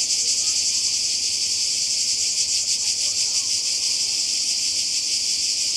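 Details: Summer cicada chorus on the Croatian coast, 2020: a bright, sizzling buzz held at one level, lightly pulsing, with nothing else standing out.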